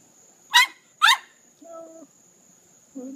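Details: Jenna, a dog sitting in her pool, cries because she wants to be scratched: two loud, sharp, strained yelping cries half a second apart, then softer, lower tonal sounds, with a steady high whine running underneath.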